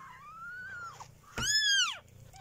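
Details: Kittens three weeks old: one long wavering mew gliding up and down, then a louder, bright, arched cry falling away at the end, with a faint low purr underneath.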